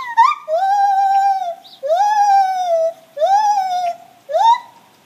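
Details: Gibbons' morning song: long drawn-out hooting notes that rise quickly, hold steady for about a second and fall slightly, four in a row with brief gaps, rich and tonal.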